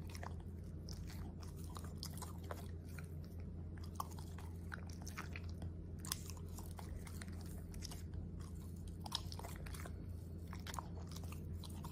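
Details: Close, crunchy chewing and biting sounds repeat steadily over a low indoor hum, with no calls or barks.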